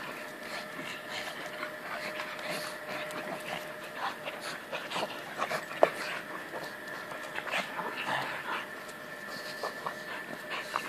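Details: Two male pugs, both 11 months old, play-wrestling: irregular bursts of panting and snorting breaths with scuffling thumps and one sharp click near the middle, over a steady faint background hum.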